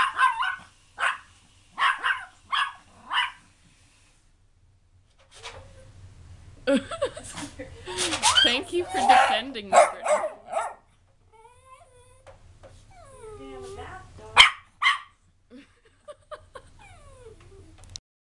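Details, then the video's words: Brittany, a pet dog, barking back at another loud dog, Peanut: a run of short sharp barks about every half second opens, then a long stretch of overlapping voices and noisy commotion, with a few more barks and whiny calls later. "Brittany Barks Back!"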